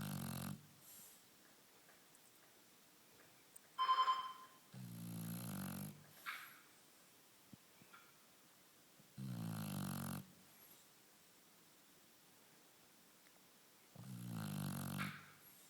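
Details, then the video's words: Lilac Shar Pei dog asleep indoors, snoring in four low, rasping, drawn-out breaths roughly every four to five seconds, with quiet pauses between and a brief high electronic beep just before the second snore. "snoring lilac shar pei"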